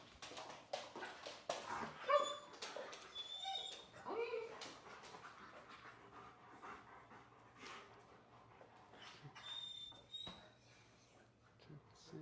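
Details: Anxious male dog whining during an indoor calm-training session, described as never taught how to relax; a few high thin whimpers near the start, mixed with clicks, rustling, footsteps and a low steady hum.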